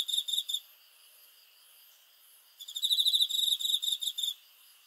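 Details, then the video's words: Cricket at night: a short burst of shrill pulsed chirps, a pause, then a longer rapid trill of about two seconds. "귀뚜라미 소리"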